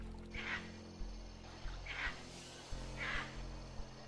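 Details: A proboscis monkey gives three short, nasal, honking alarm calls about a second apart over a low musical hum; when threatened, its swollen nose amplifies the calls to warn females of danger such as crocodiles, leopards or humans.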